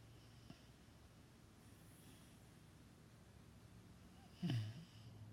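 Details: Dreaming dog named Lulu, asleep and snoring: quiet breathing, then a single loud, short, low snort near the end with a softer follow-up.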